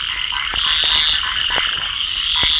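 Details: Rain frog calling: a dense, continuous high-pitched trill holding steady throughout, with faint clicks and taps in the background.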